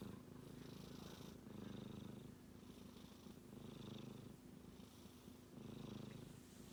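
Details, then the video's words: Snoring from a sleeping male kitten, a soft rattling drone that surges on each breath, about every two seconds, with short near-silent gaps between. "子猫のいびき a Kitty is making a noise when he sleeps"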